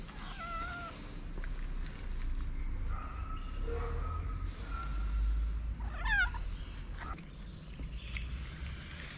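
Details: Stray street cat in Morocco, one of many homeless cats, approaches a person with meows: short wavering mews near the start, a few steadier tones mid-clip, and a sharp rising-falling cry around six seconds, over steady low rumbling background noise.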